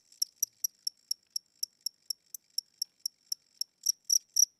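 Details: Indoor cricket chirping at night, said to be old with weakening wings and slower wing speed; evenly spaced high pulses, roughly four per second, the last few noticeably louder and fuller.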